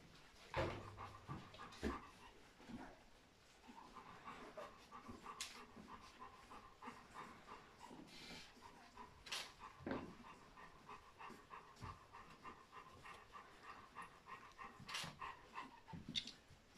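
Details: Litter of fourteen three-week-old Golden Retriever puppies raised by their mother; faint, thin squeaks and whimpers overlap throughout, steady mid-pitched tones rising and falling, broken by soft panting, rustling and occasional sharp knocks.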